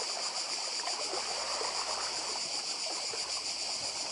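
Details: A constant shrill cicada drone on the Croatian island of Badija, a flat and continuous buzz over gently breaking sea surf.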